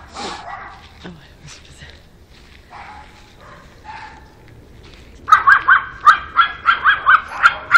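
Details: Quieter snuffles and low sounds at first, then Alfa the pug breaks into a steady run of loud, high barks, roughly three per second.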